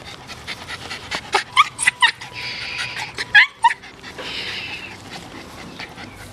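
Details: Miniature Pinscher named Alfie, busy chewing a stick on sunny grass outdoors: short high-pitched whimpers in two bursts, several quick squeaks then a pair more, interspersed with breathy panting and gnawing crunches.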